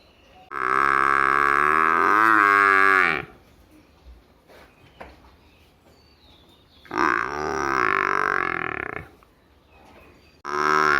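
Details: Village buffalo calf bleating three times: a long wavering nasal call of nearly three seconds, a second of about two seconds after a pause, then the start of a third, with soft rustles between.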